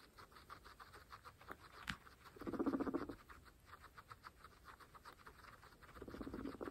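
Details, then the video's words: Fresh grass is munched by pregnant female guinea pigs; steady crisp chewing clicks, a sharp snap, then a rapid low pulsed chutter near the midpoint and another at the end. "Pregnant Guinea Pigs fresh grass Mukbang (ASMR)"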